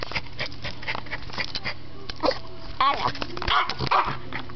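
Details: Excited pet dog barking and going wild as the family gets ready for a walk indoors: short sharp barks and yips in a loose cluster, with a person's voice mixed in.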